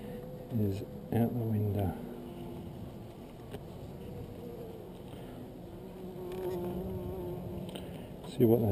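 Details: Honey bees in a hive super building double layers of comb, a steady low droning hum with slight wavering pitch, broken by short bursts of a man talking at the start and end and some handling knocks.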